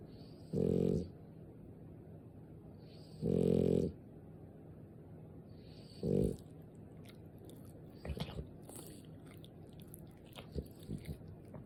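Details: A French Bulldog snores in its sleep: three low, rattling snore bursts about every two to three seconds, the last one shorter, followed by soft clicks and rustling in a quiet room.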